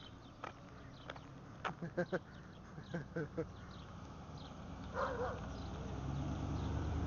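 An Alaskan Malamute gives a run of short, deep, harmonic woofs, with a person talking.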